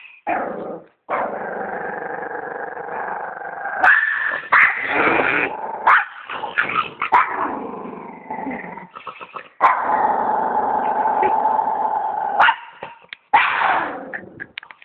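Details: Nearly constant snarling growls come from a dog, broken by sharp barking bursts and quick gasps between them.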